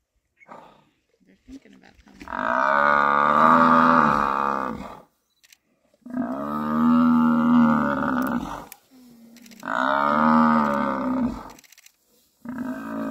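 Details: Three lionesses of the Nkuhuma pride at MalaMala Game Reserve bring down a buffalo bull: long, harmonically rich bellows, each about three seconds, repeated three times with short gaps, plus brief voices between.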